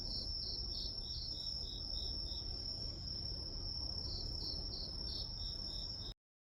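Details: Night-style chorus of grass insects: continuous high ringing trill plus two runs of quick regular chirps, over soft low noise, cutting to silence at the end.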